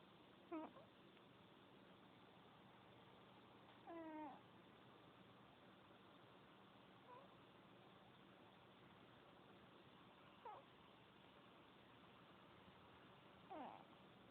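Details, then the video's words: A snoring cat: faint, squeaky whistled notes, some rising and some falling, come with its breathing about every three seconds over a steady low hiss. Five soft wheezes in all. "Cat snoring."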